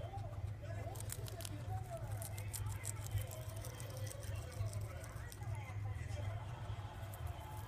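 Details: Guinea pig named Poh munching mizuna, lately its favourite: dense runs of sharp, crackly crunches through the first half, then sparser bites, while someone speaks alongside against a constant low hum.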